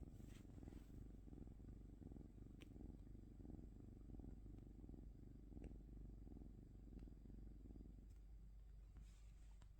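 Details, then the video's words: Pet cat purring, a deep continuous rumble pulsing with each breath, easing off and softening near the end, with a few faint clicks. "cat 🐈‍⬛️ purring"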